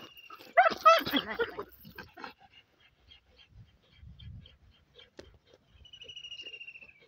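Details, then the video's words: German Shepherd while mating lets out a rapid burst of high, strained whines and yelps for about a second, then fades to low rustling and quiet murmurs, with a thin whistling tone at the close. "german Shepherd mating"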